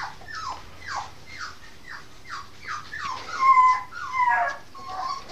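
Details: Eight-and-a-half-week-old female Norfolk Terrier puppy whimpering steadily, a downward-sliding whine roughly every half second, then louder high drawn-out squeals toward the end, indoors on 5 May 2015.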